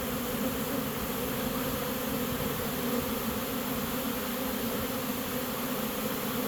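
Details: Honey bee swarm walking into a new home as it is caught, giving an unbroken, even drone with a clear low hum and overtone bands, steady in loudness throughout.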